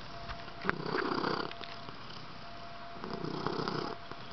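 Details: Riley, a pet cat acting silly, purrs in a close, steady rumble: two clear swells of vibrating low buzz, each lasting about a second, separated by a quieter pause and a single sharp tap.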